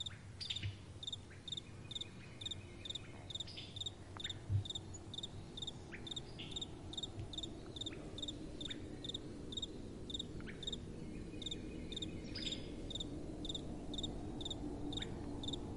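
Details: Nighttime crickets with gentle wind blowing: dense rows of rapid chirps from several insects, steady and overlapping, with occasional soft knocks and a low airy wind background.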